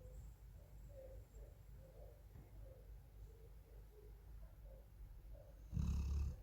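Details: Sleeping Golden Retriever Meongji, a pet dog in Thailand, breathes in a soft low murmur, then gives a single harsh, rumbling snore at the close.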